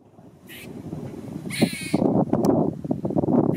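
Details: A very vocal male squirrel, tail shaking as if for emphasis, gives low rough chattering bursts, joined by brief higher squeaky rasps at about half a second and around one and a half seconds, with light wind in the background.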